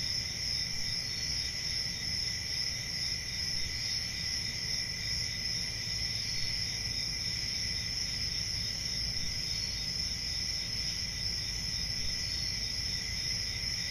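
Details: Steady high trilling of crickets on a country summer night, an even continuous drone without distinct bursts, accompanied by a low rumbling ambience.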